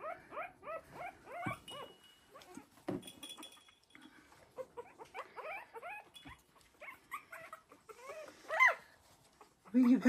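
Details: Three-week-old Havanese puppies from one litter wrestling and playing in a newly expanded whelping box. They give rapid runs of high, squeaky, arching yips in bursts, ending with a louder squeal, while a person talks to them.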